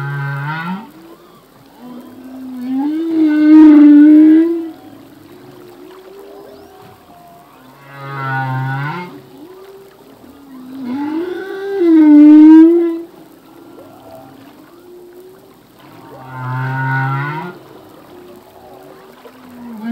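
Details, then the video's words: Male humpback whale singing underwater, part of a full-length song: low moaning units alternating with rising, harmonic-rich cries and swooping upsweeps, repeated in phrases about every four to five seconds, with quiet gaps between. "Whale song - full length humpback whale song"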